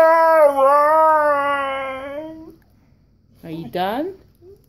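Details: Siberian Husky Koa, eager to go for a walk, gives a steady, slightly wavering whine lasting about two seconds, then after a pause a short rising yelp.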